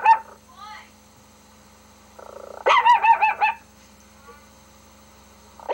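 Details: Domestic dog named Rocky reacting to a laptop dog's barks: faint yips, then a rapid run of five or six ringing barks, followed by quiet and a short final bark, with a faint low hum beneath.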